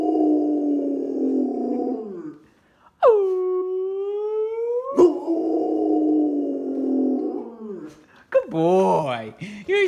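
A Rottweiler gives a drawn-out howl that slides gradually upward, mixed with rougher vocal sounds and a person's voice.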